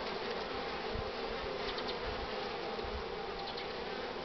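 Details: Honey bees packed at the hive entrance, heavily loaded with pollen, sunny cool morning of 24 March 2019 at 9:45; a loud, dense, continuous hum with faint passing whines of individual bees.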